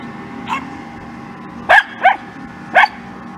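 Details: Scottish Terrier pets Kimberly and Khloe, one dog barking: a soft opening yip, then three sharp, short barks in close succession over about three seconds against a quiet indoor hum.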